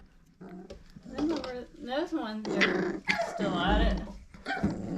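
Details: Litter of Old Family Red Nose Pit Bull puppies, five weeks old, parents Abby and Ragnar: low rumbling growls mixed with wavering whines and squeals, overlapped by a person talking.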